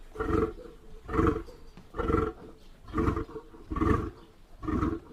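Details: Lion roaring in a steady series of deep, throaty grunts, about one per second, each burst strong and rasping with heavy low rumble, six grunts in sequence.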